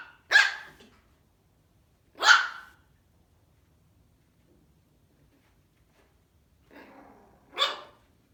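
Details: A Maltese puppy barking at its reflection in a mirror gives sharp, high-pitched yaps spaced a couple of seconds apart.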